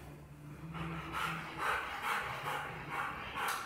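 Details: Guarding the home, a 1.5-year-old male Rottweiler barks at a delivery man about to come in; quick, evenly spaced barks sound about three times a second over a low background hum.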